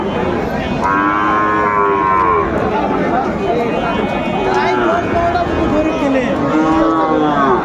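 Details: Sahiwal bull calves at a Gaibandha cattle market on 13 May 2024: drawn-out harmonic moos, one rising near the second second and more toward the end, over constant crowd chatter and voices.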